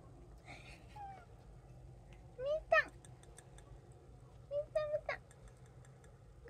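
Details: Indoor cats, from a household of three including a brown tabby, a short-legged Munchkin and an Abyssinian, at feeding time. Two bursts of short rising-then-falling meows, one of them a quick double, over a woman's soft speech in a small room.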